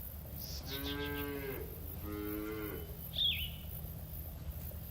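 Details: Cattle herd grazing in a green field: two drawn-out, low, harmonic moos about a second apart, followed by a single sharp bird chirp, over steady outdoor background noise.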